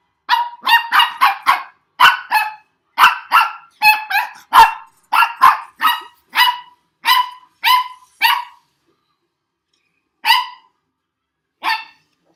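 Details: Young dog barking frantically at a weird noise its owner made: a fast volley of shrill, ringing barks that gradually slows, breaks off around eight seconds, then gives two lone barks after long gaps.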